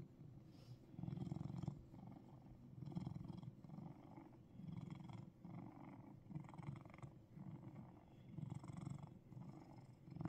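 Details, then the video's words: Russian Blue cat in Seoul, Korea, purring: a low, rumbling purr that swells and fades in rhythmic pulses roughly every one and a half to two seconds, following its breathing, with no other clear sounds. "Russian Blue Gyareureung"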